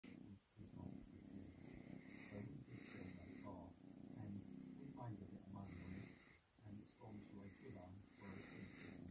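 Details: Domestic cat purring while being cuddled indoors; a steady low rumble runs through the whole stretch, overlaid by soft human voices speaking close by.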